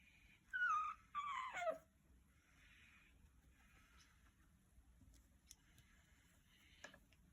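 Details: Marshmallow, a cat found as a kitten in a storehouse and now grown, with a strange dog-like voice: two short wavering high calls, the first dipping then rising, the second falling, followed by quiet rustling in a small room.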